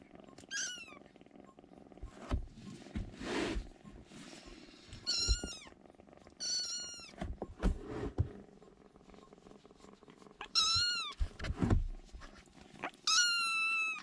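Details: Three rescued baby kittens huddling together in a room corner for warmth give high, thin mewing cries, short calls repeated in a few bursts, each sliding downward, with soft rustling and handling noises between them.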